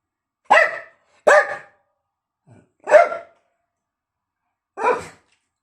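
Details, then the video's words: A pet dog barking at its bone: four short, sharp, harmonic barks spaced irregularly over five seconds, with a faint soft sound between the second and third bark and no other noise. "Dog barks at his bone"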